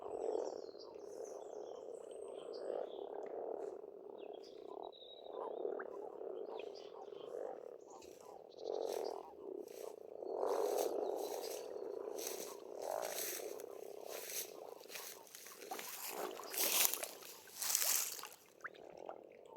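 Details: Many frogs croak together at an Estonian pond in spring, a thick low rumbling chorus that swells and fades, with faint bird notes early on and sharp clicking bursts toward the end.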